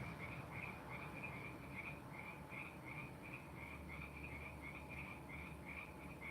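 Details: Background frog chorus at the end of frog season: quick, even chirps repeating roughly three times a second in a continuous series, distant and soft beneath a steady low electrical hum.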